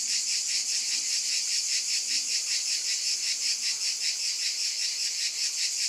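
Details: Steady pulsing cicada buzz, shrill and dense, rising and falling in even beats about two and a half times per second, with no other sounds present.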